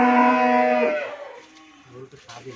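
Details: Friesian cow, first-calver with her heifer calf, on a dairy farm in Bhangura, Pabna, Bangladesh, gives a single loud, droning moo lasting about one second, then fades to quiet with faint low murmurs and brief noises.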